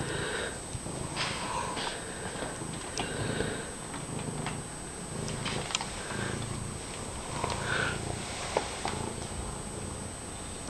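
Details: Fred, a friendly pet cat wandering around, purring loudly: a low, steady rumbling that runs unbroken through the whole stretch, with soft human voices faintly in the background.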